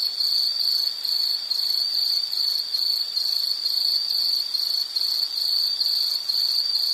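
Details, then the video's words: Insect calling steadily with a high, shrill, pulsed trill that runs without a break, the rapid chirps blurring into a continuous ringing tone over faint background hiss. "Sound · Nature Sound of nature sounds scenery L · insect"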